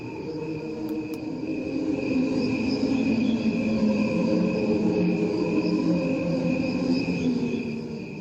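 Crickets chirp steadily, joined by a slowed-down version of their sound that hums like voices in a choir.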